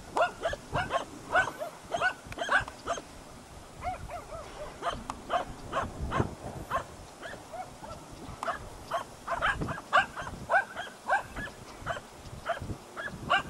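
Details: Hunting dogs baying at a dead deer, recorded 8 September 2012 at Salas: rapid, irregular series of sharp barks from more than one dog, overlapping and continuous throughout, with a faint low rumble of background noise.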